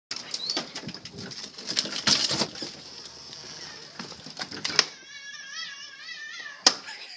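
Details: Cheddar, a 9-month-old Cheetoh cat, greets his owners after a few days alone in the house. Clicks, taps and rustling come first, then a drawn-out, wavering meow near the end, followed by a sharp tap.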